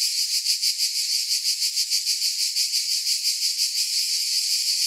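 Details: Several cicadas produce a shrill, continuous buzz that throbs in regular waves roughly three times per second and never pauses.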